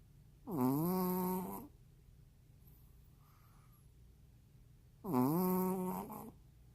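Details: Juni, a sleeping Maltese dog, snores indoors: two drawn-out, tonal, nasal snores, each dipping then rising in pitch and lasting about a second, spaced roughly four seconds apart with quiet breathing between.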